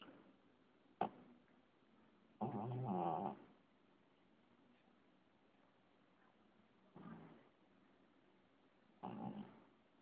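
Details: A sleeping cat snoring softly: three raspy, breathy bursts, the first longest at about a second, the others shorter, separated by quiet pauses of several seconds, with a brief sharp click near the start.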